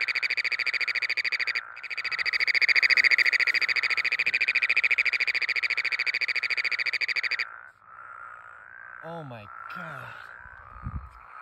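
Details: Near Denver, Colorado in late June, a Great Plains toad calling from water gives a deafening, rapid metallic trill, helicopter-like, buzzing steadily for several seconds, with spadefoot and Woodhouse's toads also calling nearby.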